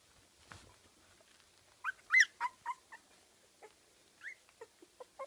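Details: Kooikerhondje puppies aged 15 days at a Swedish kennel; scattered sharp squeals, a loud high whine near the middle, then softer brief yips trailing off.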